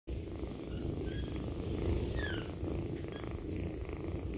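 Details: Kitten purring loudly while asleep beside its owner indoors; a steady, continuous low rumble runs through the whole stretch without pause, with faint higher tones above.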